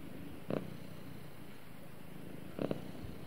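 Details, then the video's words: Snuggling house cat purring beside its owner; a low steady rumble carries through, with two short rustling bursts about two seconds apart. "Cute Cat Snuggles With Owner And Purrs"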